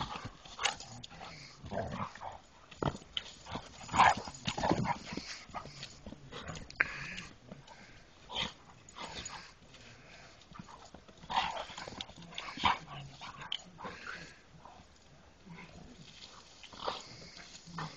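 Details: A dog gives short, scattered yips and whimpering bursts, loudest around the fourth and twelfth seconds, separated by quieter stretches over a low background hiss.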